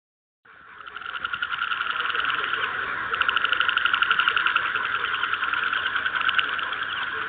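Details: Frogs in a field recording keep up a steady croaking chorus: rapid pulsed, rattling trills overlap almost without a break, swelling in loudness after a quiet start and holding strong to the end.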